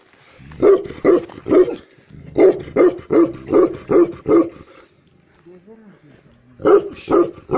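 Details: Black male Tibetan Mastiff (Bhote kukur) in Eastern Nepal giving very deep, resonant barks in quick runs: three, then six, a pause with faint low rumbling, then two more, about eleven barks in all.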